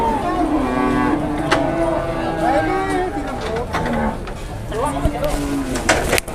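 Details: Cattle lowing: drawn-out, low, wavering moos that rise and fall in pitch over several seconds, with people talking and calling nearby.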